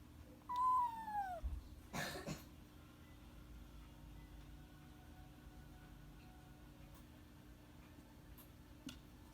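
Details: Kitten named Mamedaifuku meowing indoors: a single clear meow under a second long, starting high and sliding downward, followed by a short knock or clatter, then a quiet room with a low steady hum.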